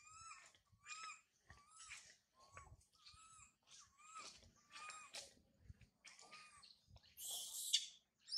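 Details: High in a tree after mother Sarah leaves, infant monkey Sario gives a steady run of plaintive, upward-bending cries, roughly one every half second to second, ending in a sudden harsh scream.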